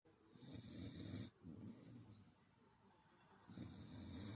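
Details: Pet dog snoring while asleep: two long, rasping snores with a low rumble and a hissy breathy edge, separated by a quieter inhale.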